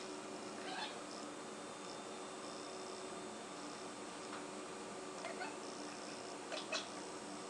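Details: Six-month-old house cat Blip chattering while stalking a fly: scattered brief chirps and trilling chatter, with a quick double chirp near the end, against a constant fan-like hum in a small room.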